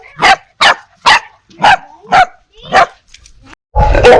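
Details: Six loud, evenly spaced single barks about half a second apart, each a harsh broadband bark, then a burst of rough noise; dogs barking ferociously at strangers, puppies at familiar people.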